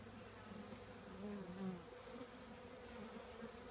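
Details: Hum of a honey bee colony nesting in an old trash can, a faint, even drone of many bees with slightly louder passing buzzes in the middle, over a background hiss.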